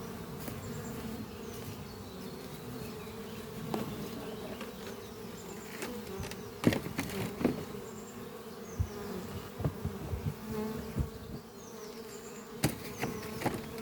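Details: Spring-morning hum of honey bees in flight around a horizontal hive under trees, colony busy raising new workers; constant low drone with loud close fly-by thumps and crackles, faint distant bird notes.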